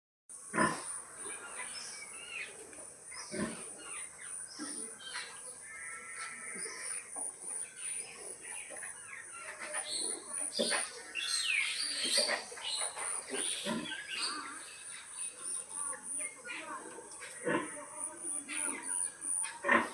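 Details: Mother pig calling her piglets at feeding time: a steady run of short grunts mixed with a few higher, tonal squeals, with a constant high hiss in the background.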